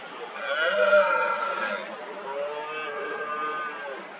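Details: Red deer stags roaring during the 2023 rut, many mostly smaller stags working each other up around an injured dominant stag amid hinds; overlapping drawn-out harmonic bellows, one loud roar peaking near one second, then several quieter moaning roars layered together.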